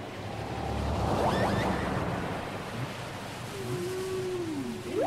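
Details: Whale song from a cassette tape: a rushing ocean background, then near the end clear gliding tones that sweep downward and upward, overlapping, with a sharp rising squeal at the close.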